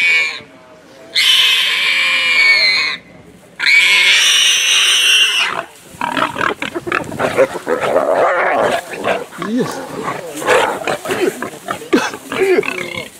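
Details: Wild pig under a leopard's fatal attack, with a hyena stepping in to save it: two long, harsh, piercing squeals of about two seconds each, then a dense jumble of rougher grunts, scuffling and noise.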